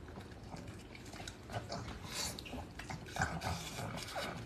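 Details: Pug dog eating an apple, close up: steady wet crunching and chomping with irregular, rapid bites and smacking, a soft low rumble of handling noise beneath.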